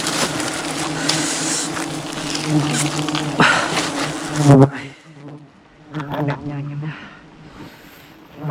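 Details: Aggressive wild honey bee swarm attacking a honey hunter climbing high above the jungle during honey harvesting: dense, loud, low-pitched buzzing drone for about four and a half seconds, then quieter scattered buzzing.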